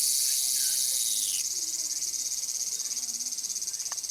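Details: Tsukutsukuboshi cicada song: a loud, steady high-pitched buzz that shifts partway into a rapidly pulsing, throbbing trill, with a faint chirp in the background.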